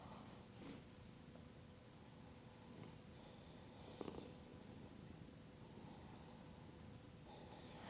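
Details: A domestic cat purring close against a microphone during a yoga session, a low steady rumble.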